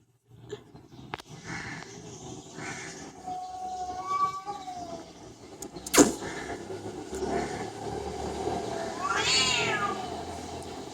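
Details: Domestic cat meowing, presented as talking and yelling like a human: a drawn-out wavering meow midway, then a louder yowl that rises and falls near the end, over steady background hiss with a sharp knock partway through.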